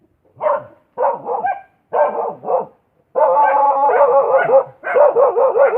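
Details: Dog gives four separate rough barks, then shifts into a longer continuous stretch of tonal, wavering barks that run almost without a break, like barking merged with a howl.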